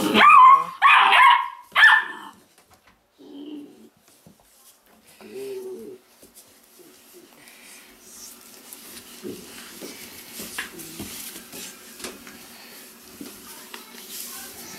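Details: Weimaraner pups bred from Indigo and Magnum: a burst of three shrill, strained yelps in the opening two seconds, followed by softer low whines and then a long stretch of quiet indoor rustling.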